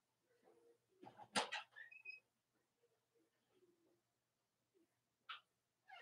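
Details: Puppies of Cavalier King Charles Spaniel mothers Robin and Myra whimper indoors on a chilly late-October morning in the US. High thin whines and squeaky yelps come in short separated bursts, with a soft low hum underneath.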